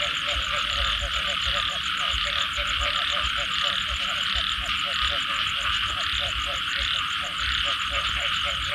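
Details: A post-rain frog chorus: regular chugging croaks repeat several times a second beneath a constant high hissing trill and a fast pulsed buzz higher still, the whole scene dense and unbroken.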